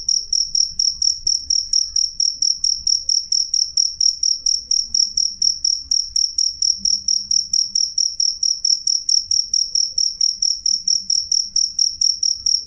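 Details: A cricket chirps loudly and clearly in an unbroken, regular train of shrill high pulses, roughly two to three a second, with faint low background noise.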